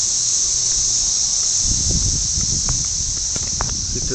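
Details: Millions of cicadas in a mating chorus: a steady, high-pitched shimmering hiss that never breaks, with low thumps and handling noises underneath during the second half.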